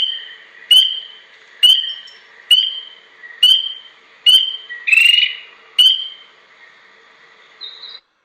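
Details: One spring peeper, one of the earliest spring callers, with a voice compared to a baby chick: seven sharp upslurred peeps, roughly one per second, then a pause, over a soft continuous high drone.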